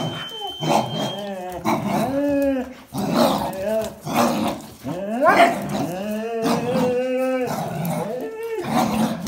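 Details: Jack Russell Terrier with black-and-white and red-and-white Border Collies contesting a towel; tonal growls that slide and bend in pitch, strong harmonics, repeated grumbling bursts with a brief high tone at the start.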